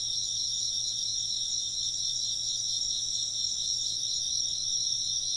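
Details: Continuous insect chorus, shrill and even, layered pulsing trills held at a steady volume for the whole stretch, with a soft low drone beneath and no other clear sounds.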